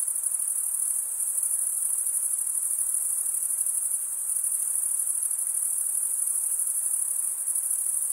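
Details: Continuous cricket stridulation from males scraping one wing across the serrated vein of the other; a dense, shrill, even trill sustained without pause, nothing else audible.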